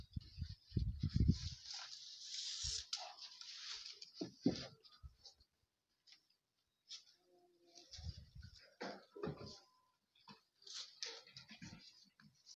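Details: A mother goat (Capra hircus) gives short, gruff, dog-like barks in scattered bursts.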